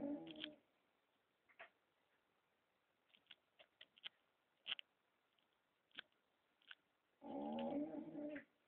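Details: Pet dog in Romania snoring indoors: a rasping, harmonic-rich breath at the start and a longer one near the end, with quiet gaps holding short faint clicks and taps.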